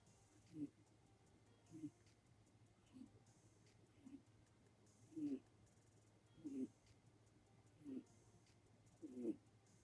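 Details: Sleeping seven-year-old red-eyed white Netherland Dwarf rabbit, indoors, eyes open, recorded on an iPhone: soft, low snorting breaths repeating about every one and a half seconds, steady and quiet against a faint background hum.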